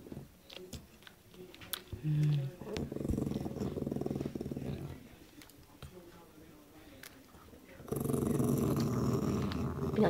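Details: Low, rough growling from a dog eating a meaty bone and turning grumpy when someone comes near. A longer rumble comes midway and another starts near the end, over soft room noise.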